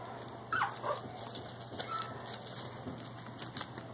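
Pekingese puppies give a few brief, high, thin whimpers against a quiet background hum.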